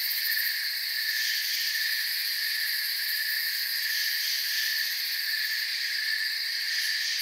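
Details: Forest crickets produce a continuous, even wall of high-pitched trilling, layered in stacked shrill tones, steady in loudness throughout, with no birds, voices or wind standing out.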